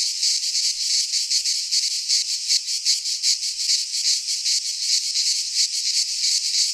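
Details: Greek pine-forest cicadas in midsummer produce a continuous sizzling buzz, throbbing in quick regular pulses a little under three per second, a massed chorus with no other animals heard.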